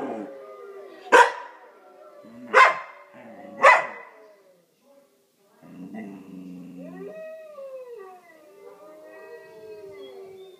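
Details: Luna, a pet dog, answers wolf howls with three sharp barks over about two and a half seconds. After a brief silence come long, smooth howls that rise and slowly fall.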